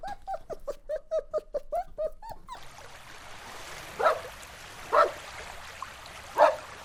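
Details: Dogs playing together outdoors on a green meadow: a quick run of about ten short, tonal yips in two seconds, then, after a pause, three loud, sharp barks spaced about a second apart.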